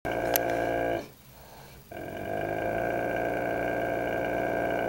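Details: Dogue de Bordeaux named Kane growling at its own reflection in a mirror: a steady, harmonic-rich rumble, briefly broken by a short pause around the first second, then resuming evenly.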